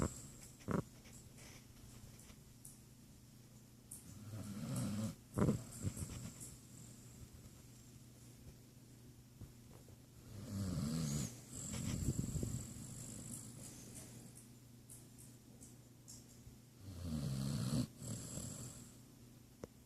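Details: Basset hound asleep and snoring, a steady cycle of low rattling snores with airy hissing exhales roughly every six seconds, about three full breaths, with a few soft clicks and otherwise quiet indoor surroundings.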